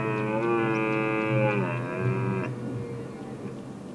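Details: Red deer during the rut prelude, filmed from the lookout tower of Weerterbos on 27 September 2013 between 19:00 and 19:30: one drawn-out, low, harmonic bellow holds steady for about two and a half seconds, then fades into a fainter tail.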